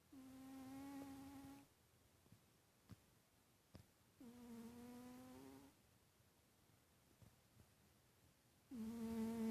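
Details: Sleeping pet cat Titus snores in three drawn-out whistling breaths, each steady and humming for over a second, separated by quiet pauses with faint ticks between them.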